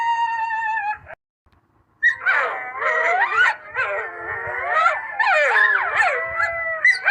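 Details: A coyote's steady rising howl, a second of silence, then a pack bursts into frantic yips, barks and wavering howls layered over one another.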